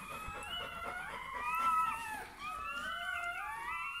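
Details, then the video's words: Newborn Bernese Mountain Dog puppy just after birth, indoors: thin high squealing cries with gliding, wavering pitch, one long drawn wail then a second rising one, with soft background rustling. "Naissance d'un chiot bouvier bernois"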